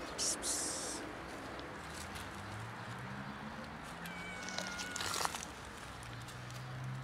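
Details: Street cats of a colony, seven in all, gathering for food around a tree log outdoors; a clear, drawn-out, steady-pitched meow about a second long rises mid-clip, after a brief high squeal near the start, with low human voices murmuring throughout.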